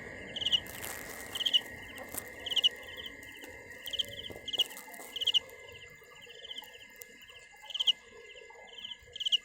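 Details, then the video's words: Cricket giving pulsed chirps roughly once a second, high and trilled, with a steady background whine and scattered faint lower rustling sounds. "Tiếng dế mèn gáy"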